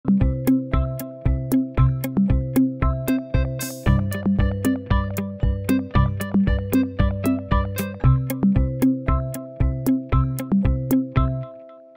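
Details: Synthesizer or electric-keyboard music with evenly repeating plucked notes and steady low bass tones throughout, about one beat every two seconds; no animal voices.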